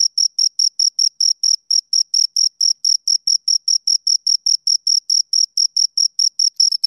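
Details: Two crickets chirping: a clean, high-pitched pulsed trill of short even chirps, about two per second, steady and rhythmic against total silence, with no other sounds.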